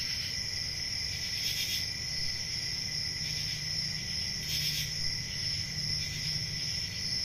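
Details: Crickets chirping on a peaceful country summer night, with a steady high continuous trill and brief brighter pulses every few seconds over a low rumbling background hum.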